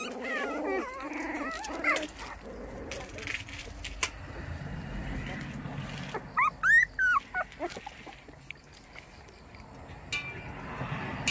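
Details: Baekgu puppy, a young female white Korean dog among a litter in Cheongdo, offering a morning greeting. Series of high, arching whimpers and short yips cluster in the middle, over rustling and a woman's talk.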